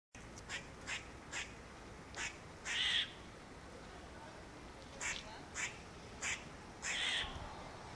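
A squirrel gives harsh, raspy barks, short ones and longer drawn-out ones, spaced irregularly.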